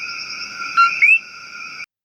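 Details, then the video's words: A male common coqui, a Puerto Rican rain frog, gives its two-note co-QUI call at night over a steady, high-pitched chorus; the first note warns off rival males, the second attracts females. "The name coqui comes directly from the distinctive two-tone call of the males. It sounds like Coquí."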